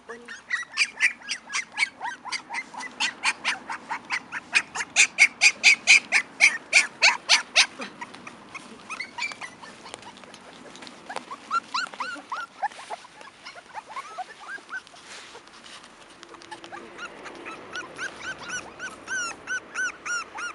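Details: Five-week-old Cairn Terrier puppies from one litter, born 28 June 2015, yap and squeal in rapid, high-pitched bursts.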